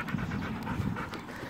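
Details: Panting husky during playtime at a park, with a rough, breathy rhythm and a low, muffled rumble beneath.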